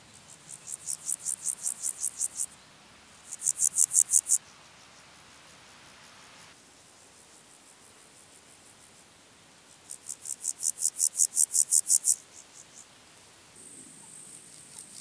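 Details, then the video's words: Water-meadow grasshopper recorded at Andechs, Germany, on 21 September 2018 with an ultrasound detector: three high, rasping chirp series, each a rapid train of about a dozen pulses growing louder, separated by short pauses. "Pseudochorthippus montanus -- Sumpfgrashüpfer -- Water-meadow Grasshopper"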